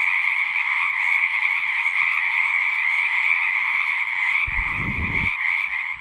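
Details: Frogs in full chorus at a pasture pond, recorded with a Zoom 6: a thick, unbroken trilling wash at mid-high pitch, while a low rumbling thump, like a handling or wind bump, intrudes briefly near the end.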